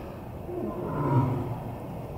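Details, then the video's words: Kalu, a lion at Tulsa Zoo, recorded 3 January 2021 while being coaxed to roar into his den for the echo; a single low, swelling moan builds and fades over about a second against steady background hum. "Coaxing Kalu to Roar Part 2"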